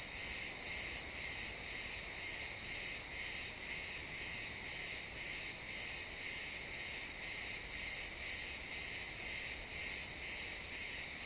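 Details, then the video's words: Crickets chirping in a pine forest at sunset, stereo XY field recording: high, buzzy pulses repeating about twice a second in a steady, even rhythm over a soft woodland background. "Cricket sounds in the pine forest"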